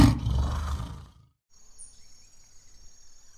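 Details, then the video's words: African lion roaring in footage for children about lions: a deep, rough, low-pitched burst lasting about one second, then near silence with a faint high steady tone. "Lions Roar and Lion Sounds"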